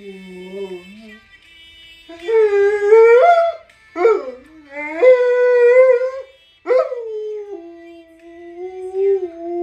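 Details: Fugui, an Alaskan Malamute that likes to "talk" while eating, gives drawn-out, wavering howl-like vocal phrases. They rise and bend in pitch, with short pauses between bursts and faint music underneath.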